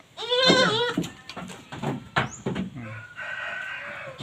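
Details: Jawa Randu goats kept for breeding and fed green fodder and pakchong grass; a loud, wavering, harmonic bleat lasting under a second opens, followed by shuffling knocks and a steady, flat, crow-like tone from a rooster in the background.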